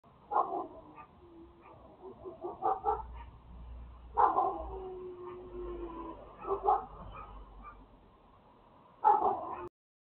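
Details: A neighbour's dogs bark from a distance in scattered, muffled bursts every two to three seconds, with a few whimpering tones between barks and a low rumble in the background.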